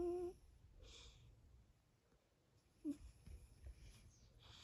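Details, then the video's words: A sleeping 14-year-old Devon Rex cat, a male, snoring very loudly indoors: a short wheezy squeak opens, then soft breathy rasps, with another brief whistling wheeze near the three-second mark and quiet snuffles after it. "Snoring 14 years old cat"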